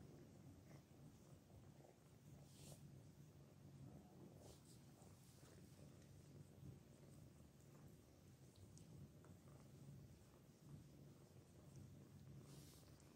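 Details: A quiet, continuous low purr rumbles from Anna, a cat nursing her kittens, holding an even throbbing drone for the whole stretch, with scattered faint rustles and clicks.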